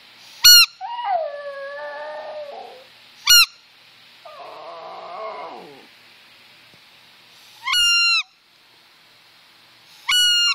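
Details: Yorkshire Terrier Brooke howling to squeakers and whistles, with short wavering howls between loud, evenly spaced high squeaker toots that dominate the sound.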